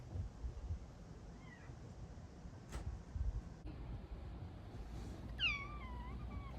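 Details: A female Bengal cat waking her owners at 4am gives a drawn-out, falling meow near the end, with a faint brief mew earlier; her 4am meows are described as her loudest.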